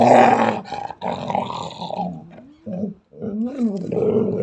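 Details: A female Belgian Malinois (Belgian Shepherd) growls harshly and fiercely, unprovoked, at a German Shepherd calmly lying about three meters away, with rough snarling bursts and a few rising, whining tones.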